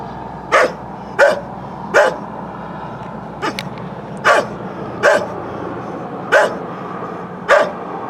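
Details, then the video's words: A neighbour's aging dog barks repeatedly, about eight short, coarse barks spaced roughly a second apart, with a brief cluster of fainter sounds midway and constant low background noise. Recorded with a Canon Vixia HF R800 camcorder. "Dog Barking"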